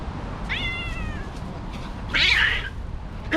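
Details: Angry calico cat outdoors in a park, recently neutered, fighting stray cats in her territory: a falling, harmonic meow near the start, then a loud harsh yowl, with a person's voice and outdoor background.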